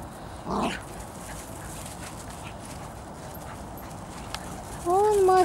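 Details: Bedlington Terriers from the Airy Step kennel, the mother Leya with her puppies on a walk: a short harmonic whine near the start, then a longer, louder rising-and-falling whine at the end, with a woman talking in between.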